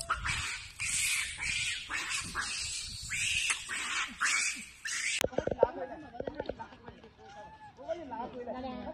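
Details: Baby macaque abandoned by its mother, lying on the ground and crying: loud, shrill, harmonic screams in rapid bursts for about five seconds, then an abrupt cut to quieter, lower, wavering whimpers.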